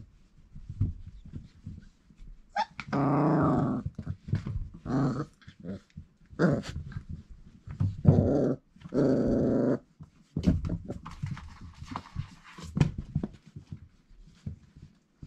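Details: Growling play among four-week-old Irish Setter puppies, sired by Cain out of Grit: several sustained, buzzy growls, each one to two seconds long, separated by quieter scrabbling.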